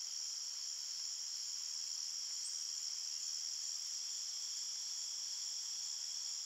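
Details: Crickets in a forest after dark keep up an unwavering, piercing high trill, loudness flat across the whole stretch, with no other animals or people.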